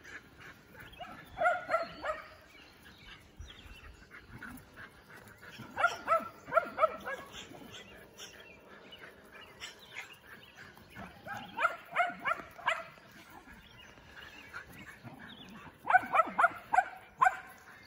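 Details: Shelties, Shetland Sheepdogs at a 2021 AKC event, running at full speed, give rapid bursts of sharp, high yapping barks in four separate clusters spaced roughly four to five seconds apart, with quieter outdoor noise between them.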